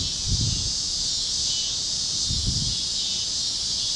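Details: Cicadas chirping at sunset over Kansas fields on a warm evening: a steady, dense high-pitched hiss that swells and fades slightly, with two soft low thumps of rustling or wind underneath.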